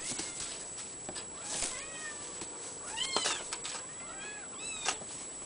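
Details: Mikitiko, an Abyssinian kitten, gives a run of short, high, arched mews, several rising then falling, spread across five seconds among soft clicks and rustles, with a steady thin electronic whine in the background.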